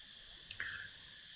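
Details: Cicadas on Raya Island near Phuket, southern Thailand, keep up a steady, high, buzzing drone near nightfall, broken once by a brief higher chirp.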